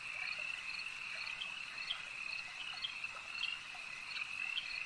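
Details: Many frogs at a lake keep up a shrill, unbroken pulsing chorus, with louder individual chirps standing out irregularly against soft environmental noise.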